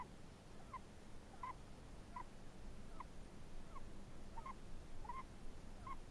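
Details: Chinese hamster snoring: soft, short squeaky notes repeat roughly every 0.7 seconds in a steady breathing rhythm, faint over a low, rumbling background hiss.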